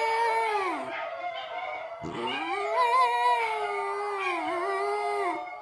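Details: Basenji (Canis lupus familiaris), yodel song.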